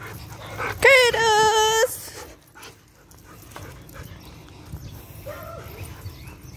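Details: Belgian Malinois dog while running, recorded June 15, 2021: one loud, tonal, whining cry lasting about a second, steady in pitch with a slight waver, then quieter rustling and a short faint second whine near the end.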